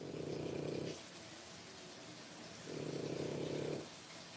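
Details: Three-week-old French Bulldog puppies, born 1/10/25, produce two rough, pulsing rumbles about a second long each. They come roughly two and a half seconds apart, like slow rhythmic breathing, over a constant faint hiss.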